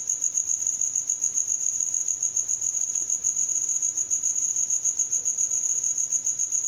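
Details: A cricket calls through the night, its wings rubbing to make a persistent rhythmic cricri; a constant thin, high trill with fine pulsing runs unbroken across the whole stretch.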